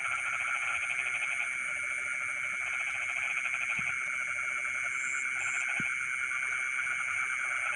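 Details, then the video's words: Frogs calling in rice fields in the middle of the night, a continuous pulsed, rattling chorus under steady high-pitched insect trilling, with a few brief sharp chirps above. "the sound of frogs singing in the rice fields in the middle of the night"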